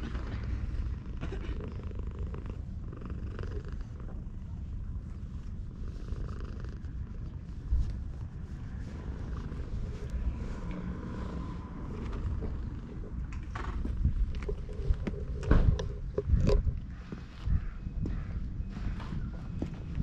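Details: Petted stray cat basking in sunshine at a shrine, GoPro HERO8 recording: a long, even, low purr throughout, with scattered rustling and tapping from hand contact toward the later seconds.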